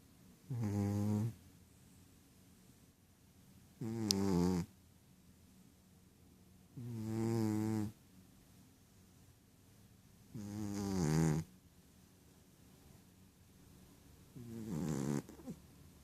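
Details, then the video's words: Sleeping Ragdoll cat named Rohan, dreaming, gives five steady low snores, each a buzzy, rough breath about a second long, recurring roughly every three and a half seconds with hushed pauses between. "Rohan Snoring"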